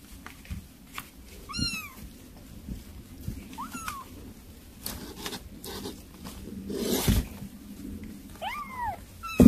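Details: Kittens eating weaning food let out three short, bent, high meows spread across the recording, mostly masked by wet smacking and clicking eating sounds.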